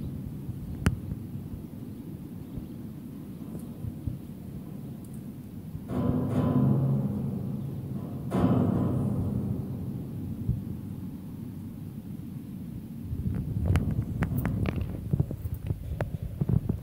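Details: A 65 kg male African spotted leopard starts the day at a South African wild cat facility with a deep, rumbling purr that swells into two louder low bursts.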